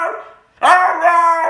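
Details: Siberian Husky, shown as crazy and hyperactive, gives a short, loud, tonal howl after a brief soft lead-in and a pause. The voice breaks in suddenly, then holds a steady, slightly wavering pitch to the end.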